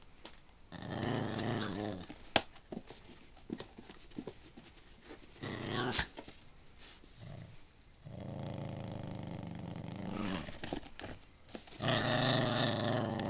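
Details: Small pet dog of uncertain breed, possibly Maltese or Shih Tzu, named Snoopy, indoors: low rumbling growls come in bursts with short pauses, a louder stretch near the end, and scattered clicks and handling noise.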